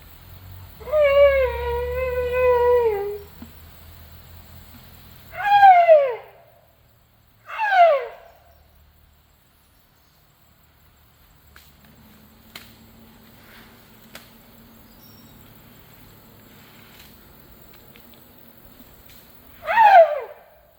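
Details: Asian elephant (Elephas maximus), squeaking call: begging for food.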